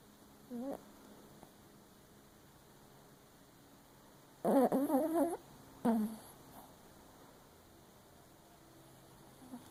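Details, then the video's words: Dreaming Papillon Chihuahua, asleep with one eye open, lets out a short squeak, then a louder cluster of quavering whimpers and a final brief whine over a quiet indoor background. "Papillon Chihuahua snoring and dreaming with one eye open"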